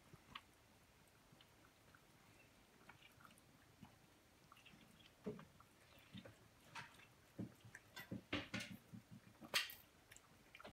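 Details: Pet cats eating their dinner on 1/24/18. Quiet at first, then a burst of sharp, irregular crunching and clicking chews packed closely together in the second half, with soft wet mouth sounds between bites.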